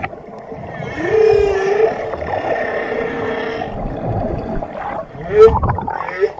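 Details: Whale calls: drawn-out, harmonic moans that glide upward in pitch and then hold, with a second short rising whoop near the end, over a constant watery rumble.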